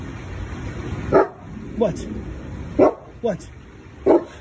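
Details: Big female Boerboel in a backyard barking after stopping to smell something in the air, then running off to open the door and greet the family; five short, sharp barks roughly every half to one second, with a person's voice asking who is here.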